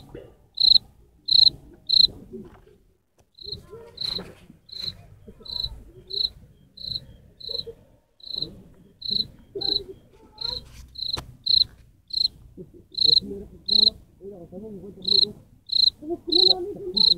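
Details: Cricket singing: short high pure chirps repeated about every half second with brief gaps, over a low rumble of background noise and faint murmuring.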